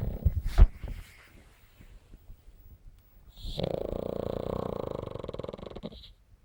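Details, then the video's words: A pug snoring: a sharp snort at the start, a quiet stretch, then one long, rasping, buzzy snore of about two and a half seconds that ends abruptly. "смешной мопс храпит"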